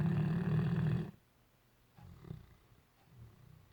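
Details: Great Dane asleep and dreaming: a loud low rattling snore cut off after a second, then quiet, irregular soft snuffles and breathy rumbles.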